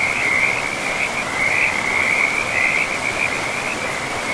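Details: Frogs calling beside a river deep in a pristine, moss-covered forest: a loud, dense, high trill runs nearly unbroken through the whole stretch, pulsing slightly, above a soft background of running water.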